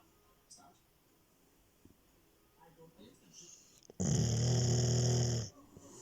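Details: Asleep indoors, a female Labrador Retriever gives one long, rough, low-pitched snore lasting about a second and a half, after a stretch of near silence with faint soft sounds.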